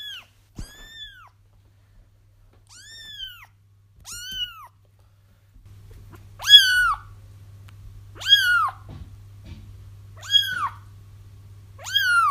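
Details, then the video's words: Crying kittens, used to lure their feral mother into a trap; high, arched mews with bright harmonics, spaced roughly every two seconds and growing louder toward the end, over a faint electrical hum. "30 minutes of Kittens Crying"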